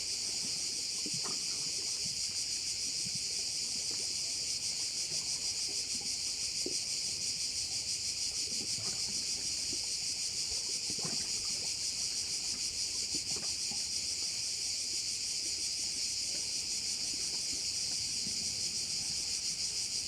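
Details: Crickets around a Korčula bay in Croatia keep up a loud, high, even buzzing wall of sound with a quick regular pulse, broken only by occasional faint taps.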